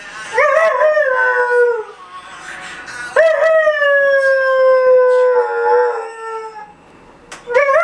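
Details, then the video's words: Dalmatian named Mat, 4.5 months old, howling when the alarm clock rings: long wavering howls that start high and slide slowly downward, three drawn-out cries separated by short pauses, each ending in a falling tail. ""Когда звонит будильник" далматин Мэт 4,5 месяца"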